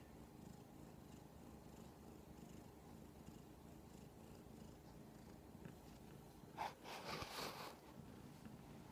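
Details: A giant kitten demanding attention purrs with a soft, even rumble, broken near the end by a brief rustle or snuffle.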